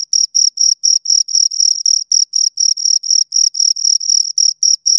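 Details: Close-up chirping of two crickets, a shrill pulsed tone pulsing about four times a second in an even rhythm, clean background with nothing else audible.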